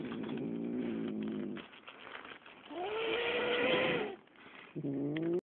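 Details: Angry big male cat shut in a cage awaiting the vet, complaining loudly; a low rough moan, a pause, then an arching wail rising and falling, ending with a short rising cry.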